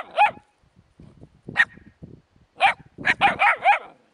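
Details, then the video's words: High-pitched puppy yaps around a hedgehog, scattered at first and then a quick volley of four bouncy, arching yips near the end, with faint shuffling in the gaps. "щенки и ёжик"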